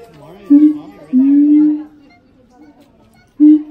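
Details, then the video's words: Resonant, low sustained hoots from a siamang pair duetting at the Los Angeles Zoo, one long swelling note held nearly a second, then a pause before another loud boom begins. "Siamang harmony"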